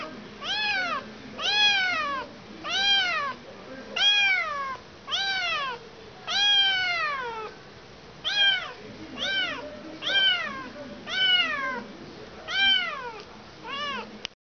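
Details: Kitten that has lost its mother, meowing insistently indoors: a steady series of high, arched, harmonically rich meows, each rising then falling, about one per second across the recording, with a faint low hum beneath.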